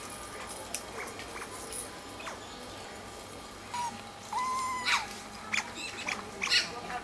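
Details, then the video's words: Group of Asian small-clawed otters playing with rocks on a calm afternoon, calling in excitement: sparse thin whistled squeaks, then a longer level whistle and a cluster of bright chirps in the second half. "Felices nutrias chillan de emoción mientras juegan"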